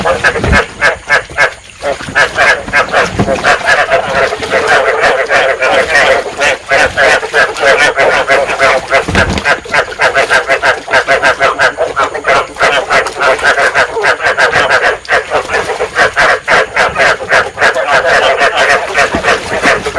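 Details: Rice field frogs calling in a dense breeding chorus, a sound said to stimulate breeding and used to lure frogs into traps; many overlapping croaking pulses, rapid and steady, with a few low thumps.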